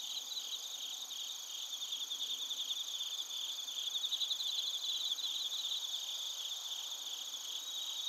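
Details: Night insect chorus of crickets and bell crickets in Narita, Chiba, Japan, captured on a TASCAM Portacapture X8: dense, continuous high-pitched buzzing with a faint rhythmic ringing trill rising in the middle.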